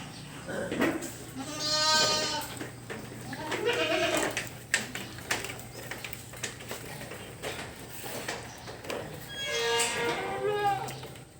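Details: Bleating goats in a barn, including pregnant animals: loud, quavering bleats at the start, a shorter one midway and another strong bleat near the end, with music and scattered knocks behind.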